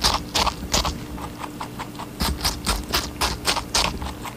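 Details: Rabbit biting into watermelon: loud, crisp, wet crunches in quick groups of three or four, a short quieter pause between groups, and a low hum underneath.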